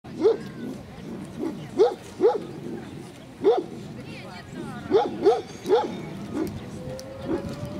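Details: Central Asian Shepherd Dog at a club breed show in Kyiv (Krasylivka), 28 September 2019: deep single barks come in uneven bursts, about nine over eight seconds, over a steady murmur of people talking.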